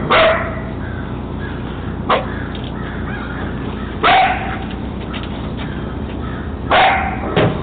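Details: Three-month-old German Shepherd Dog puppy barking on spotting a man coming out of the woods: four sharp, loud barks roughly two seconds apart, each a brief bright burst with a tonal core, over a steady low background hum.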